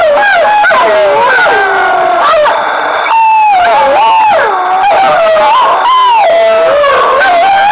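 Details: Group of wolves responding to broadcast howls during the 2013 census in Italy's Foreste Casentinesi National Park; overlapping sliding howls bend up and down, broken by short gaps and yelping notes, several voices at once.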